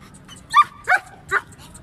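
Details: Three short, loud barks about a third of a second apart from a double-coated male German Shepherd in Peshawar, Pakistan, against a faint low hum.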